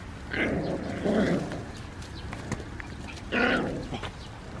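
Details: San'in Shiba puppies, three siblings, squabbling while gnawing Chinese cabbage and running about a farm field; two rough, low growling bursts close together, then another after a pause, with rustling and footsteps around them.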